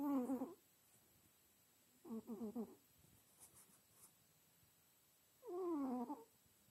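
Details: Snoring house cat, soundly asleep: three separate raspy, harmonic breaths, the second softer and stuttering, the last slightly falling in pitch, spaced about two to three seconds apart in a quiet background.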